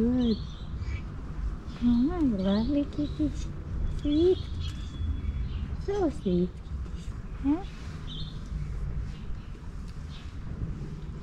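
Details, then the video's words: In an Istanbul blind alley full of strays, two loving cats compete for attention with bursts of wavering, up-and-down meows, clustered in groups with short gaps between, over a continuous low background noise. "Two cats competing with each other for love"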